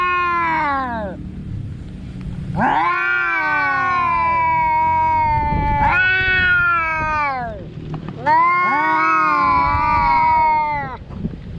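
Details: A cat produces four long, moaning meows of about two to three seconds each, sharply rising at the start and slowly falling, with brief dips in loudness between calls.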